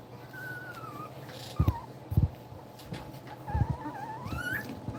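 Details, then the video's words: Two-week-old German Shepherd puppies nursing, giving thin, wavering whimpers that slide up and down, with a few short, heavier thumps or bumps at about 1.6, 2.2 and 3.6 seconds over a low steady hum. "2 week old puppies nursing"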